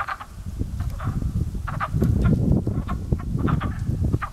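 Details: Frogs coming to life in early spring at a pond, their calls once mistaken for crows: a chorus of short, hoarse clucking croaks in quick overlapping bursts, over steady low rumbling wind noise.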